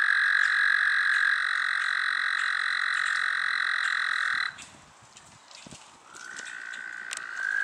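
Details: An American toad (Anaxyrus americanus) in the city of Columbus gives a long, steady, musical trill that holds one pitch for several seconds.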